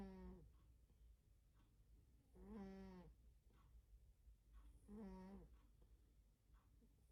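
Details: Sleeping domestic cat snoring loudly indoors: three long, buzzy, droning snores roughly every two and a half seconds, each a low voiced tone with rattling overtones, quieter breaths between, over a steady low room hum.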